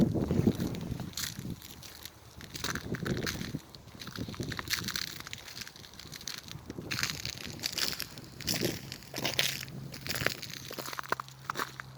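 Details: Outdoor walk with sloshing, crunching footsteps, gusts of wind and a low engine hum toward the end, with no animal voice.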